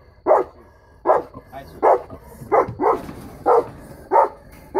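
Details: Three-year-old female St. Bernard guarding, giving heavy, full barks roughly every 0.7 seconds, about seven barks, each short and resonant, in an otherwise quiet setting.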